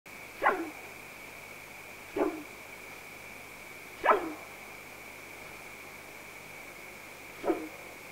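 A bull elk gives four sharp, hoarse barks, spaced irregularly a couple of seconds apart.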